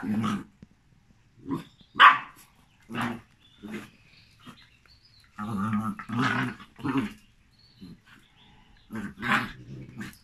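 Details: Meeting between a Jack Russell and a Malinois indoors. Sharp single barks mixed with throaty growls in irregular bursts, one high, loud bark standing out early, the rest rough and grumbling.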